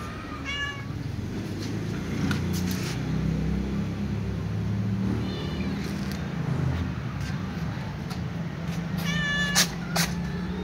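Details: Calico cat walking with other cats and asking for food meows twice, once near the start and once near the end: clear, high, drawn-out cries, over a steady low engine rumble.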